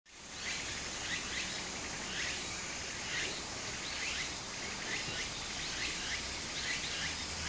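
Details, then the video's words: Cicadas singing in summer beside a small stream in Japan: high, hissing pulsed bursts repeating roughly once a second over a steady wash of flowing water. "小川の流れと蝉の声 自然音 ～夏～ Japan Sound of nature Cicada's voice"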